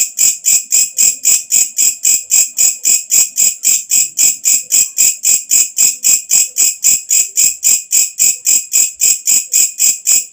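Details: Loud katydid night call, a sharp sizzling pulse train at a steady rate near four pulses a second, very regular and uninterrupted throughout.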